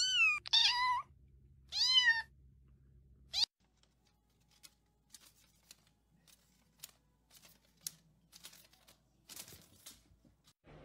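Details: A cat gives two short, high, rising-then-falling meows in quick succession, followed by a sharp click and then quiet, with scattered faint ticks and rustles.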